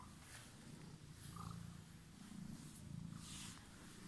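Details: Emerald-eyed pet cat that had been waiting, giving a soft, low rumbling purr that swells and fades in gentle waves, with light rustling and breathy noise over it.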